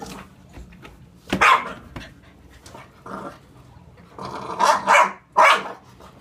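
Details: An English Bulldog and an Olde English Bulldog playing together, giving short, gruff barks in separate bursts.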